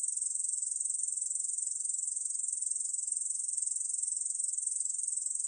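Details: Short stretch of Ussur brown katydid song, 2020 National Institute of Biological Resources recording: a high, dense buzz made of rapid, evenly pulsing ticks running without pause.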